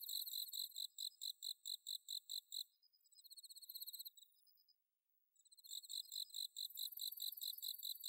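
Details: Bell cricket singing on an autumn night in rice paddies at Inba-numa, Chiba Prefecture, Japan, recorded with a Zoom H6: a run of high, evenly spaced pulsed chirps, then a softer buzzing trill, a brief silence, and the chirping resuming.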